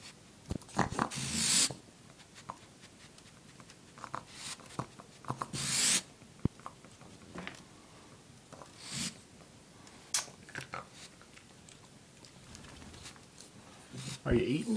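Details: Angry female pet raccoon indoors, described as hateful: sharp, breathy hisses and huffs burst out irregularly every few seconds, about six in all, separated by quiet room sounds, with a person's voice near the end.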